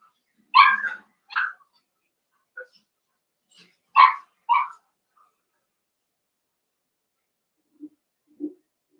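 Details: Cavalier King Charles Spaniel puppies playing in an indoor home puppy pen give sharp high yips in two quick pairs about three seconds apart, then a long quiet stretch broken by two faint soft squeaks near the end.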